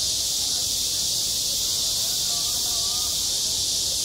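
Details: Continuous rasping cicada song rings over a school playground in the heat of summer, loud and level throughout; faint wavering tonal sounds drift underneath in the second half.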